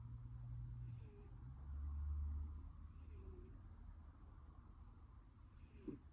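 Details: Snoring of a female cat born in 2009, possibly with a blocked nose: low, rumbling breaths below the voice range swelling and fading over several seconds, with a brief higher squeak near the end, indoors.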